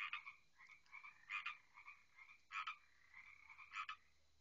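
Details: Frogs at night by water near a house, a steady trilling chorus punctuated by three loud, short broadband croaks spaced a little over a second apart.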